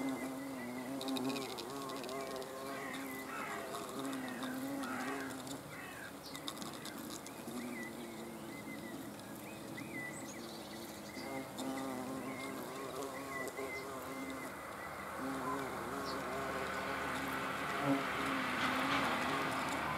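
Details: Several hornets observed on 30 June 2020 produce an overlapping, wavering drone of wingbeats, the pitch bending up and down as they move; a hissing noise rises toward the end with occasional bird chirps.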